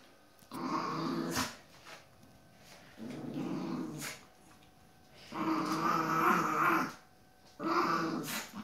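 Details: Chihuahua reacting aggressively to a playful Jack Russell Terrier pup, giving rumbling, gravelly growls in four bouts of about one to one and a half seconds, separated by short quiet gaps, with faint clicks between bouts.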